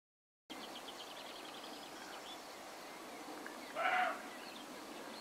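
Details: A roe deer with a damaged left eye gives a single short, hoarse bark over a quiet background of faint bird chirps.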